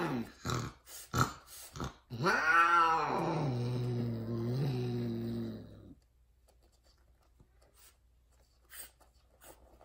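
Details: A female tortie Persian mating with a white, odd-eyed, extreme-face tom gives a loud, drawn-out yowl that rises and then holds a low, moaning tone; Persian cat.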